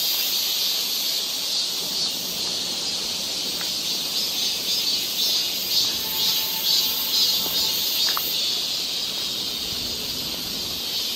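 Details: Cicadas singing together in summer woodland along a walking path in Galsan Park, Seoul: an unbroken shrill buzzing wash, slightly swelling and fading, with a few faint thin whistled tones and clicks mixed in.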